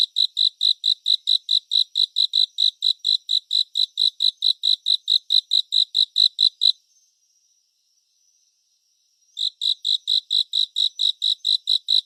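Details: Crickets in a calming 3D surround recording for sleep: regular high chirps for nearly seven seconds, a pause of about two and a half seconds, then the same steady chirping returns.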